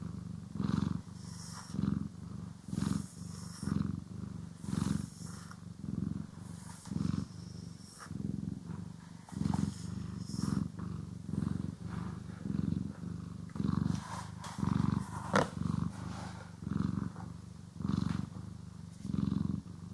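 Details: Cat being groomed and brushed indoors, purring continuously; a low throaty rumble rising and falling in about twenty even pulses, interspersed with soft brush strokes and small rustles.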